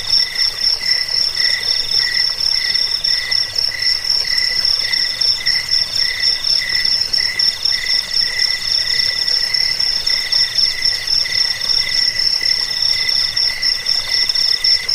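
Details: Cricket chorus offered for repelling rats, as a sleep aid and for training songbirds: several steady, high pulsed trills layered at different pitches, the highest a bright continuous ringing, the lower ones in rhythmic bursts, with no other sounds.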